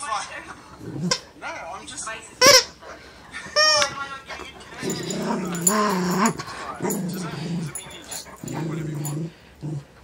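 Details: A female Great Pyrenees plays with her favourite stuffed sloth toy, giving high whining squeals followed by deep, rumbling growl-moans in long drawn-out bursts, with a person's voice talking at times.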